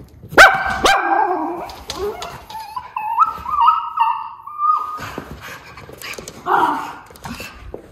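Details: Two white Miniature Schnauzer brothers indoors in Aroostook County, Maine, on December 21, 2021, interrupted while resting and sharing a towel during holiday decorating: sharp barks, then a long, wavering, whistle-like whine or howl lasting several seconds, followed by more scattered barks.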